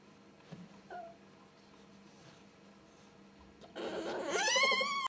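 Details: Ferrets during flirting and mating, a hob (male) with a jill (female), indoors: quiet at first with faint clicks and a brief tone, then a loud, harmonic, wavering squeal rising in the final second and a half.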